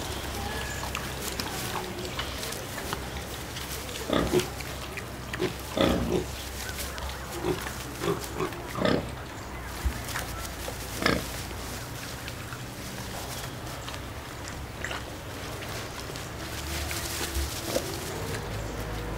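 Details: Four Mangalica domestic piglets, three females and one male born 28 April, in a zoo farm exhibit in Ostrava, Czech Republic; short scattered grunts and snorts, clustered mid-clip, over steady low background hum.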